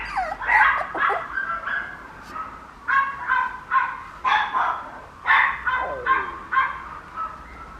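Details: Papillon puppy making repeated short, squeaky yelps and whimpers, some slightly falling in pitch, coming about every half second to second in a quiet room.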